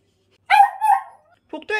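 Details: Anxious brown female Poodle in indoor foster care, rescued from a hoarding case in Mapo-gu and showing separation anxiety toward the man of the house: two short, tonal, voiced whines in quick succession, then brief further sounds.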